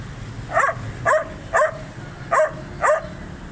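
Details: Angry dog giving loud, sharp barks, five in a row about every half second, each bark short and harsh over a low background hum.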